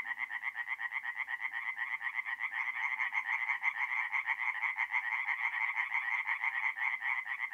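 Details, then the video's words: Chorus of tree frogs at a forest pond by night, mid-April, north-east Italy; fast rhythmic croaks pulse continuously as several frogs overlap into a dense, ringing chorus. "relaxing forest pond by night with singing tree frogs"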